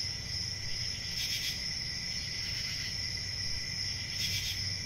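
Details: Steady high cricket trilling continues without pause, with a weaker lower band of chirps. Two soft hissing surges stand out, and a dull low rumble sits in the background.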